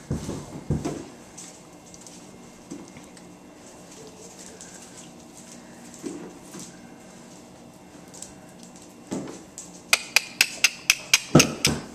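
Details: Indoor clattering, tapping and soft thumps in a small room, ending in a quick series of sharp metallic clicks, with no animal voice heard.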